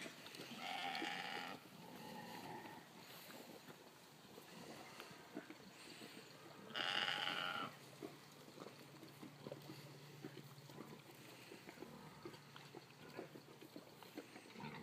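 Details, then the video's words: At feeding time, Golden Guernsey goats give loud, bright, nasal bleats: a burst at the start and another about seven seconds in. A steady low hum and soft rustling run beneath them. "Golden Guernsey Goats at feeding time"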